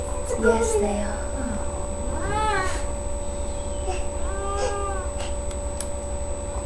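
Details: Female cat Sasha delivering a litter of three kittens at home, May 14th 2011: a long wavering meow followed by a softer, shorter one, over murmured human speech and a constant mains hum.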